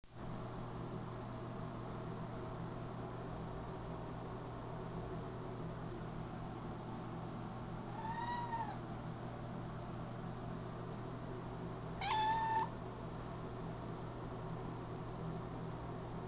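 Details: A cat meows twice, with clear tonal meows about four seconds apart. The second is brief and slightly louder. A steady low electrical hum runs throughout.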